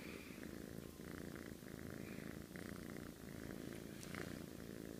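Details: Deep, steady rumbling snore of a cat asleep, with brief dips in loudness between breaths and a few faint higher clicks near the end.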